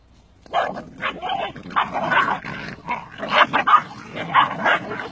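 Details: Litter of Cane Corso Italiano puppies feeding during traditional natural weaning; rough, overlapping yips and squeals burst out in quick bunches for several seconds, with faint speech mixed in.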